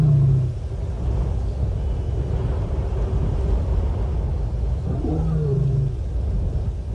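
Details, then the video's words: Female lion at Nkorho Bush Lodge, 30 September 2021, moaning to make contact with other lions: two short, low, harmonic moans, one at the start and one near the end, over a steady deep rumble. "Lion: Female 11+ hrs "moaning" (searching contact)"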